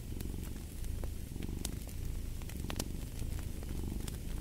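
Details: Loud, buzzing cat purr with a clear rapid vibration and soft swells, with light crackles from a fire behind it.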